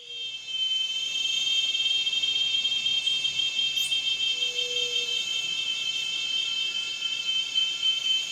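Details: Cicada call: a steady, shrill, high-pitched drone with stacked bright tones, unbroken and even in loudness throughout, with a faint low hum beneath.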